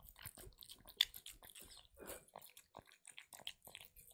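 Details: Female kitten eating her favourite wet food, recorded close up: soft, moist smacking and clicking chews in quick irregular bursts, quiet overall.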